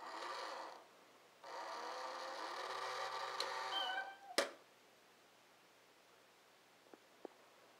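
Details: Chloe, a pet cat, finding another cat to play with indoors. A short sound comes first, then a drawn-out, harmonic meow lasting about two and a half seconds, followed by a sharp knock and quiet room tone.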